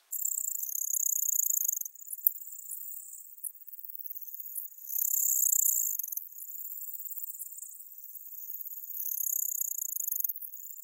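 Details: Ornate bright bush-cricket (Poecilimon ornatus) singing at Seewiesen, Germany, on 28 June 2019: a very high, hissing, sustained buzz that swells into louder surges every few seconds and fades back between them, with a faint click near the start.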